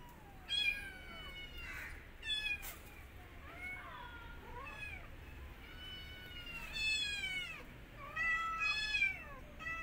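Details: Mother cat with her kittens and an orphan kitten that she attacks after smelling it. Thin, high meows rise and fall in repeated bursts, several overlapping, with quiet gaps between.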